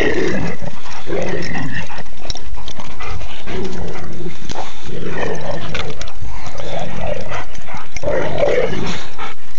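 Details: Playing keep-away at Mossflower Acres, Door County, Wisconsin, the dog Zeus taunts ball-obsessed Marley with dramatic noises: rough, continuous growl-whines that rise and fall in bursts, buried in loud, distorted low-frequency rumble.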